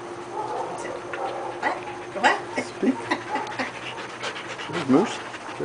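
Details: A 24-month-old male Siberian Husky, asked to speak, gives short, rising, whining vocal bursts while people talk nearby, on meeting an 18-month-old female husky.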